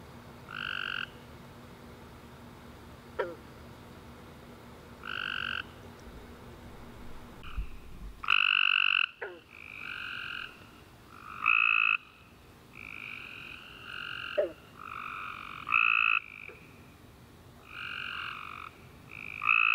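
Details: Tree frogs chorusing at night after a warm rainy summer day: overlapping trilled calls in two stacked bands, bursts of about a second repeating from several callers, with brief sharp clicks between them.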